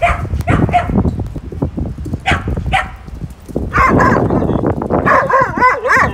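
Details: A pack of fourteen dogs plays in snow; a few spaced barks come first, then overlapping yips and wavering, whiny growls over steady low rumble.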